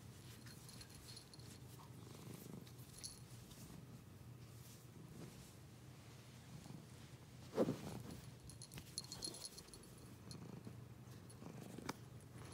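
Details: Cat purring in a low, continuous rumble that swells and fades in slow breathing cycles, with one sharp click midway and faint high jingles.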